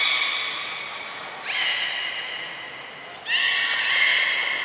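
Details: Belugas, the whole group taking part in a training session at Port of Nagoya Public Aquarium, Japan, on 2 April 2023: bright, harmonic squealing tones, with upward-sliding cries near 1.5 and 3.3 seconds and a thin, high steady whistle near the end.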